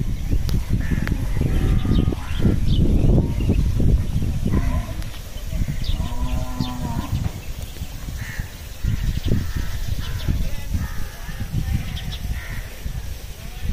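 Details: Cattle being fed fodder, 14 May 2023: a drawn-out, evenly pitched moo stands out near the middle, over dense low-frequency rumble, knocking and busy background noise.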